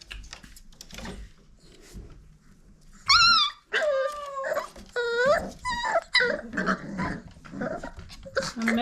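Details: Old Family Red Nose Pit Bull puppies from Abby and Ragnar's litter, five weeks old, playing and sparring indoors: a burst of high, harmonic yelps and whines after a quiet start, with a person talking to the puppies throughout.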